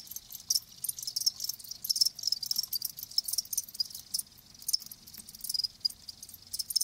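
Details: Live crickets make a softer, high, buzzy trilling with uneven swells and a few sharper ticks, the chirps blurring into a thin continuous wash.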